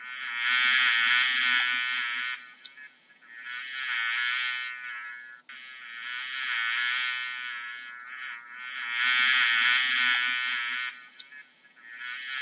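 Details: Bee buzzing: a steady, buzzy, harmonic drone that swells loud and fades again about every three to four seconds, with quiet gaps between the swells and no other clear sounds.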